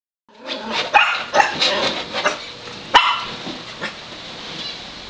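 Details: Rosie, a five-month-old Shetland sheepdog, barks madly at a little wiener dog passing the front window: a rapid volley of sharp, high barks with a loud burst near the end, then fading yips.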